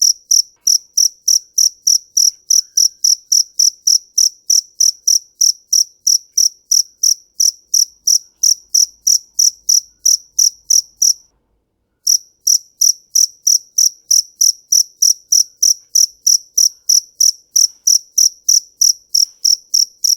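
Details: Steady run of shrill, high cricket chirps, about three per second, broken by one clear pause of under a second midway before the same even pulsing resumes; background otherwise silent.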